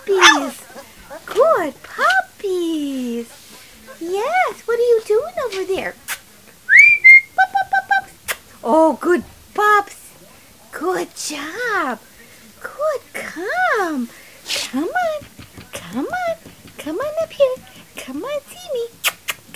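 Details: Three-week-old puppies keep up a steady stream of high squeaky whimpers, each bending up then down, with ticking clicks between and one thin high whistled note near the middle.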